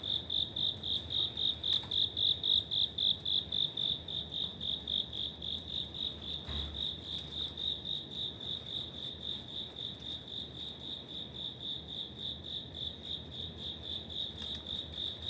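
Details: Autumn cricket dwelling in a residential apartment corridor in Suginami, Tokyo, keeps up a long, even run of shrill chirps, close to four per second, loudest at first then slightly softer, with a faint thump midway and quiet room-like background.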